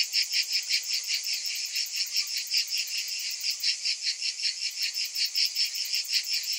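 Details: A loud massed buzzing of summer cicadas, high and shrill, throbbing in quick even pulses about two or three per second, with no other sounds.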